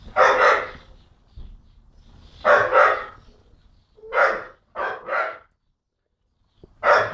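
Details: Jock, a young dog of about 10-11 months, barks at birds and the person recording: loud, harsh single and double barks spaced a second or two apart, with quiet gaps between.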